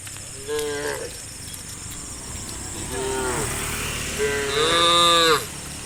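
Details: Village cows walking in an irregular line toward grassland in the early dewy morning; a short moo near half a second, another about three seconds in, then a strong sustained rising moo at the end, with insects droning throughout.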